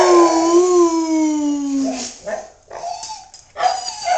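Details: Pet male Siberian husky that loves to howl once someone gets him started: a long smooth tonal howl sliding slowly downward for two seconds, followed by several short broken yips and wavering cries.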